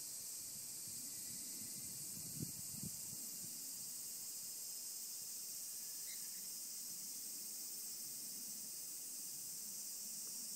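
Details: Mixed cicadas, including higurashi, singing in a mountain forest. A constant shrill buzzing wall of sound holds for the whole stretch, joined by a couple of brief low knocks near the start.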